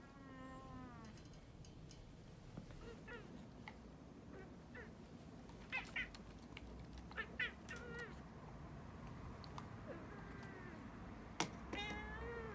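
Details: A domestic cat meowing in protest during claw clipping: a whiny meow at the start, clicks and handling noises in between, then rising, complaining meows near the end.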